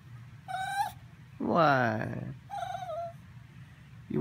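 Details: Minpin asking for treats while being teased: a string of whines, a short squeak, then a louder arching, moaning cry, another thin wavering whine, and the start of a fourth, with a person talking to the dog between them.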